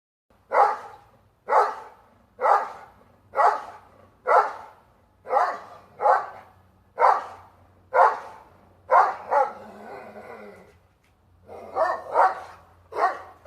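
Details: Dog standing on its hind legs, barking at a squirrel in a plum tree: loud, sharp barks repeated steadily about once a second, roughly fourteen in all, with a brief pause before a final burst of three.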